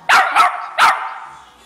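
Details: Pet female Westie puppy, eager for a walk, gives three quick explosive sneezes, the first two close together and the last after a short pause, then a fading quiet.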